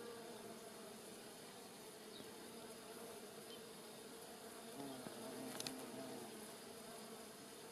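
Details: Giant white-tailed bumblebees and smaller honey bees forage on rosemary in a Polichnitos village garden in early November 2020 sunshine; a steady, low droning hum with wavering tones fills the recording, with a brief sharp tick near the end.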